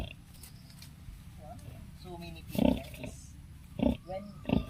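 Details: Native sow with her eleven piglets on a backyard farm gives a few short, deep grunts in the second half, spaced about a second apart, while a person talks over the start.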